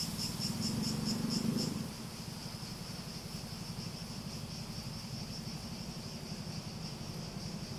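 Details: Cicada song: for the first two seconds a high buzz throbs in distinct beats alongside a louder low sound, then the insects settle into a smoother, continuous high whine with a faint low hum.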